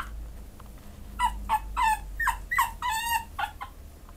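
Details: A Pekingese dog awaiting adoption whines in a string of short, high, bending whimpers, roughly three per second, each dipping down at its end, over a low background hum.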